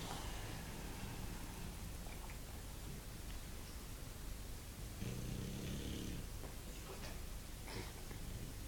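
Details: Snoring bulldog under a steady hiss of background noise, with faint low rattling breaths and one clearer rasping snore about midway through.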